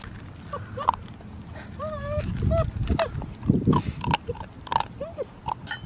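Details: Nine-week-old female puppy on her first day home, whining while eating her first meal, recorded close up: short arched, nasal whines rising and falling, mixed with loud crunching and chewing of food.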